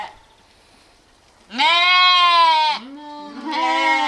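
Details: Sheep or lamb bleating loudly in a long, steady, nasal cry of about a second, slightly falling at the end, then a shorter follow-up bleat after a brief pause.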